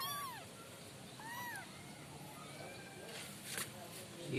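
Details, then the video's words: Unnamed five-kitten litter: a couple of high arched meows at the start and around 1.4 seconds, then fainter calls, with a speaking voice and rustling beneath. "suara kucing 5 bersaudara"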